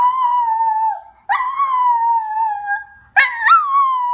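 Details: Howling pet dog: three sustained, slightly falling wails in quick succession, the last opening with a short yelping break before settling into a long tone.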